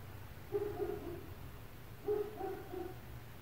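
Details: Neighbours' dogs in an apartment building at 4 a.m., barking for an hour: two short bursts of muffled, low barks through the walls, about a second and a half apart, over a steady low indoor hum.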